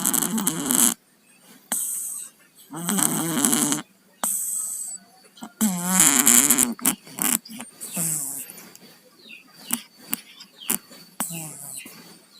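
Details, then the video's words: Cats with colds, Tayen and Lilu, snoring in their sleep: congested, gurgling snore bursts roughly every one to two seconds, some stronger and wavering, followed by fainter wheezy breaths toward the end. "KUCING PILEK, TIDURNYA NGOROK"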